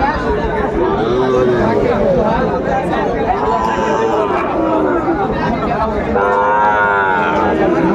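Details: Sahiwal bull calves at a cattle market in Chuadanga, Bangladesh, on 16 January 2025. Drawn-out harmonic moos rise and bend over a steady din of crowd chatter and bargaining voices.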